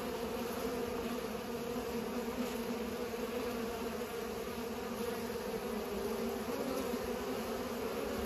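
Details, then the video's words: Continuous buzzing drone from pollinating bees, an even, unbroken hum of wingbeats with stacked tones that neither rises nor fades. "Bees are pollinating"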